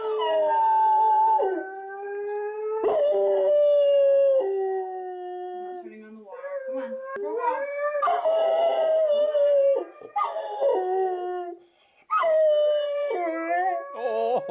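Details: Howling from Ike, a three-year-old black Labrador reacting to talking huskies on television, in long steady tones that bend and drop at their ends, several phrases in a row, with a short break partway through.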